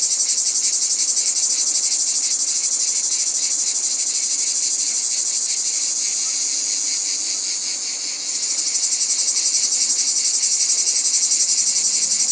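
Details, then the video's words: Cicada calling in nature: a loud, dense, high-pitched buzzing drone, steady and continuous with a fast pulsing texture, dipping briefly near the end before resuming at full strength. "Cicada sounds in Nature"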